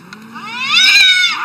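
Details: Cat argument: one sustained yowl climbs steadily in pitch, swells to a loud strained peak, then bends down at the end.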